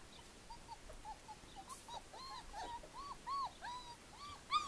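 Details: At Le Domaine des Pertins, Callie and the four-week-old Formule 1 puppies whimper steadily: overlapping arched squeaks repeat roughly every half second, growing louder toward the end, where one sharp yelp stands out.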